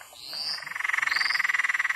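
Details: A Peron's tree frog calls from near a road at Mt Glorious in south-east Queensland, Australia, giving a rapid, cackling trill of about twelve even pulses a second, like a laugh, with a faint high whine above it.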